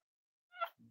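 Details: A dog, said to be barking from under a bed while another dog's litter is being whelped, gives one short, bright bark, rich and ringing, then a low murmur follows in a quiet room.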